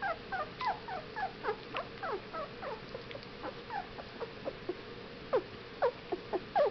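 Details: Whippet puppies, 15 days old, giving short thin whimpers and squeaks, rising and falling, scattered irregularly with brief pauses, several overlapping, with a faint steady hum underneath.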